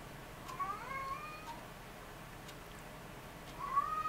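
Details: Ragdoll kittens born on 20 February 2015 while nursing. Two thin, high, quavering mews, one early and one at the end, over a soft steady room hiss.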